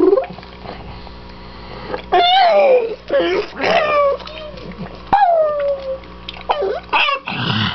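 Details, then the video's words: A pet dog howls with joy to greet its owners as they come home. She gives drawn-out, whining howls that slide downward, with shorter yelps between them. People's voices can be heard in the room. "Happy Howls"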